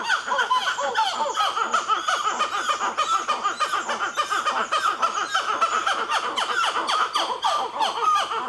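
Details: At Nazare Paulista, Brazil, a black-fronted titi monkey group that includes a baby keeps up a loud, pulsing stream of quick repeated calls, swelling and easing in regular waves.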